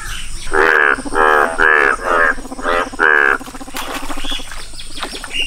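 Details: A yellow-coloured Indian bullfrog (Hoplobatrachus tigerinus) gives a series of loud, nasal, rasping croaks, about two each second.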